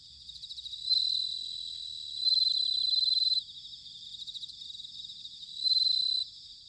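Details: Autumn bell cricket in Sanuki, Chiba prefecture, Japan: clear, high ringing trills in three pulsed bursts, the middle one longest at about a second, over a softer background of other trilling insects.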